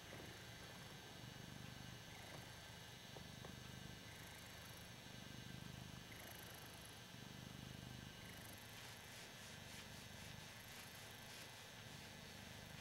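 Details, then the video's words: Purring Ragdoll cat enjoying being adored, a quiet continuous low rumble with gentle rhythmic pulsing over a hissy, noisy background. "Hoss - the Ragdoll Cat - Purring"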